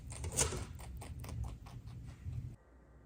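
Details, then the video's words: Rabbits HuanHuan and LeLe munch on greens, healthy veggies, grasses and flowers. A short burst of brisk, crunchy chewing clicks, one louder snap early on, then an abrupt cut to near silence. "Sound of bunny munching greens"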